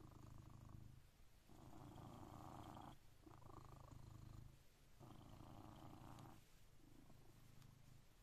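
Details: Blue British Shorthair cat named Coconut purring at 6am as its daily wake-up routine: a deep, continuous rumble pulsing in alternating breaths roughly every one and a half seconds, close and quiet surroundings.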